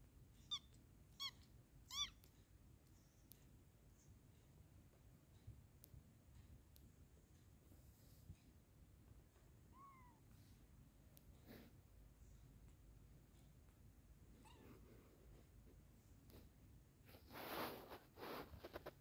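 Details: Kittens mewing: a run of thin, high, rising-falling mews in the first two seconds, one more around ten seconds, faint ones later, over a quiet indoor hiss with a burst of rustling near the end.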